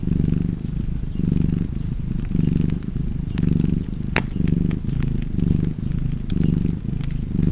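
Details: Cozy purring cat and fireplace, the low buzzing rumble cycling steadily with each breath, punctuated by sharp crackling snaps from the fire.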